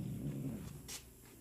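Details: Domestic cat named TK growling indoors: a low, rumbling growl held for over a second, with a brief higher hiss-like burst near the end.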